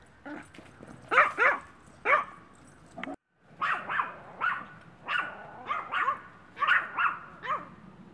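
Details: A one-year-old female Maltese, a friendly rescue dog awaiting adoption in Brooksville, Florida, barks repeatedly in short, high yaps. About eleven barks come in quick pairs and singles, with a brief silent break near the middle.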